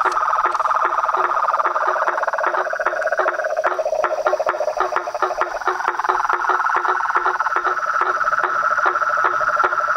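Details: Pond chorus of frogs, toads and treefrogs at dusk near a house veranda; overlapping trills at two pitches, a lower pulsing one fading midway, with steady rhythmic clicks throughout.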